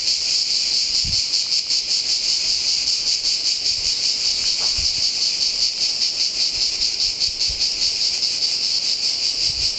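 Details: Cicadas sing deafeningly in a pine grove at San Sostene (CZ), Italy: a loud, sizzling high buzz pulsing about every half second, steady from start to finish, with a few soft low thumps.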